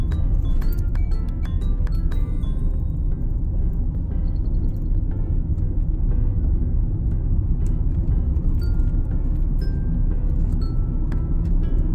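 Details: Loud, bass-heavy music with bright chiming notes plays over car rumble, and no animal voices stand out.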